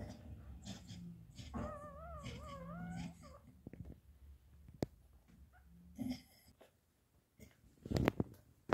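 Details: Labrador Retriever puppies giving a short series of wobbling, high-pitched whines lasting under two seconds, followed by scattered clicks, shuffling and a brief yelp-like burst near the end.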